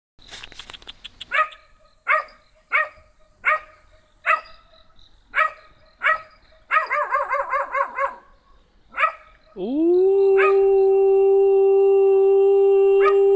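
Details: Small black dog answering a person trying to talk to it: sharp, evenly spaced barks roughly every 0.7 seconds, then a burst of quavering yelps, and a long steady humanlike tonal howl at the end.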